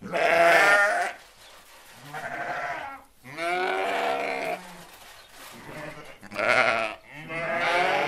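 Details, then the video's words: Sheep bleating in a relaxation and meditation piece that pairs sheep and goats, with several long, wavering, nasal bleats separated by short quiet gaps, some higher and some lower in pitch. "Sheeps, goats and their sounds"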